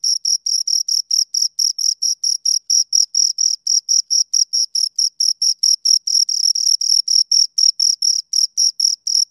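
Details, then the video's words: Two crickets give a continuous run of high, buzzy chirps in a close, even pulse of about four per second, nothing else audible. "Two Crickets Chirp Sounds for Two Hours Right on Your Ears"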